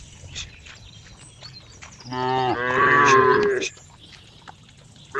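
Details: Cow giving one long, loud moo of about a second and a half, strongly harmonic with a falling then steady pitch, set among quiet background rustles and faint clicks; a new call begins at the very end.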